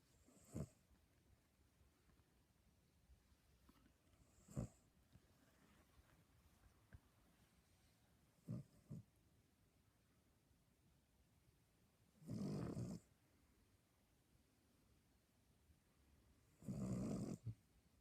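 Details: Two sleeping Cavalier King Charles Spaniels snoring indoors; quiet snorts at first, then two longer broad, rough snores about four seconds apart near the end.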